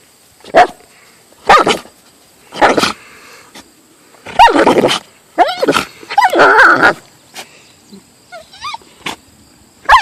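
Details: Siberian husky sounding off at a hated golf club: sharp single barks every second or so, then a run of wavering, rising-and-falling yowls and a few thin whining notes toward the end.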